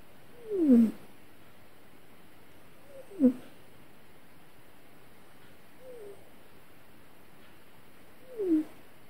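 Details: Domestic cat whimpering through a bad dream: four soft, descending mewing whines, each under a second long, separated by quiet pauses of two to three seconds.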